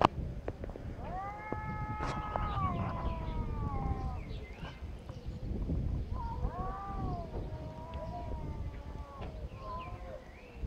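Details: Two angry cats in a fight, mewing at each other with long harmonic wails that waver and bend, several drawn-out yowls in succession over a low background rumble.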